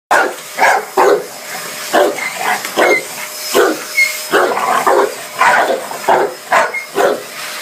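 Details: Dogue de Bordeaux barking at a vacuum cleaner: repeated short, harsh barks, about one or two per second, over a steady background hum with a faint whistle-like tone.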